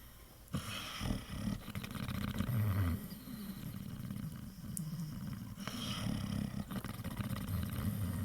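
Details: Pit Bull snoring while asleep and dreaming, sounds stated as real; rough low rumbling snores run almost continuously, swelling and easing with each breath, indoors with no other clear sounds.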